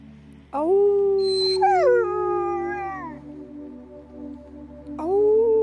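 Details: Happy wolfdog letting out a sustained howl that jumps upward, then holds a level tone before falling away, followed by a fresh rising note near the end over a low background hum.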